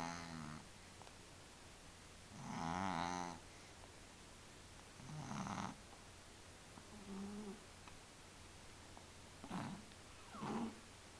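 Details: A cat in deep sleep snoring softly indoors: gentle, buzzy, purring snores that rise and fall, coming every two to three seconds over a steady low background hum.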